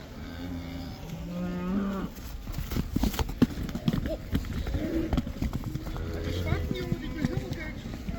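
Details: Cattle let back into pasture in the Netherlands for the cow dance: a low moo early on and another later, with irregular knocks, thumps and possible human voices between them.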